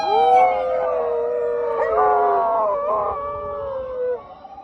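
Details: Two sister dogs, rescue dogs, howling at a police car siren on an evening walk in Japan; overlapping sustained tonal howls with rich harmonics, gliding slowly down and wavering over about four seconds.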